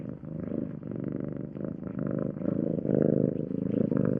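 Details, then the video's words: Low buzzing purr of a domestic cat in regular breathing pulses, starting softer and growing noticeably louder and rougher in the second half. "Cat Sound Effects"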